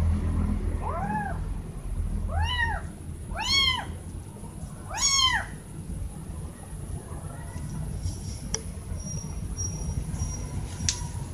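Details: Pair of kittens calling loudly to their mother: four clear, rising-then-falling meows in the first five seconds, then quieter background hum with a faint click and a thin high tone.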